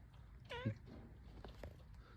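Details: Hungry cat after rain giving one short, rising then falling meow with rich harmonics, followed by faint murmurs and a low background hum.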